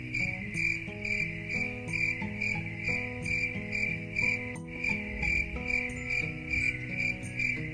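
A cricket chirps steadily in quick, high pulses over soft, slow instrumental music.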